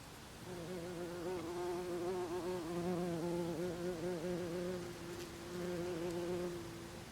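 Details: Buff-tailed bumblebee at a nest after the dance, filmed 24 April 2021 in Olariaga, Oxinaga quarter of Zamudio, Txorierri, Bizkaia, Spain; a low, steady droning hum with a slight wavering pitch, fading briefly and resuming.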